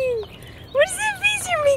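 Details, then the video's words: Elyot, a rescued Australian Shepherd mix, greets his owner inside a 1989 Jeep Wrangler YJ, as he has every day for two years. He gives a short falling whine, then a run of higher, wavering, yodel-like vocal notes. "Elyot the dog greeting me with gusto"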